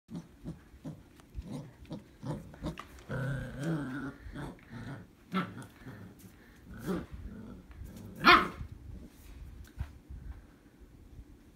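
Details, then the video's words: German Shepherd and Australian Shepherd puppy playing tug-of-war: low rumbling growls through much of the recording, a harmonic growl-whine near the middle and a sharp bark or yelp toward the end, with scuffling noises between. "German shepherd vs Australian Shepherd puppy tug-of-war"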